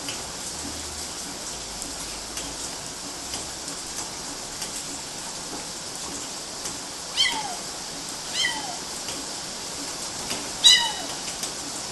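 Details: Kittens climbing on mosquito nets in Galati, Romania, June 2012: three short, high falling meows at roughly 7, 8.5 and 10.7 seconds over a steady hiss, after a quiet opening.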